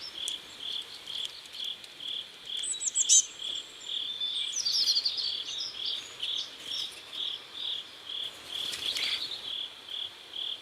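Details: Steady, evenly spaced high chirps from crickets beside a river at sunset in South Korea, with scattered thin bird calls and a couple of brief clicks over the rhythm.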